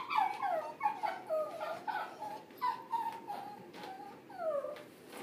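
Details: A corgi whines repeatedly, short descending whimpers and a few longer drawn-out whines, irregularly spaced over a faint background hum.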